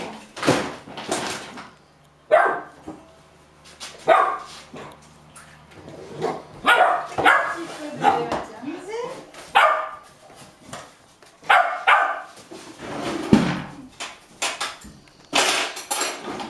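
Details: Hungry 8½-week-old Golden Retriever puppies hop and bark impatiently while their meal is prepared, in Haute-Savoie, France, January 2013: short, excited barks and yips in quick bursts, with people talking between them.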